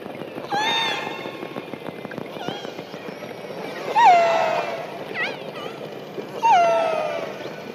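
Killer whale calls: squealing, harmonic tones that rise then drop sharply, repeated every few seconds.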